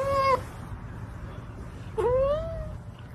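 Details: Pet cat giving a short meow, then after a pause a longer drawn-out meow that rises and slowly tapers off, over a faint low hum.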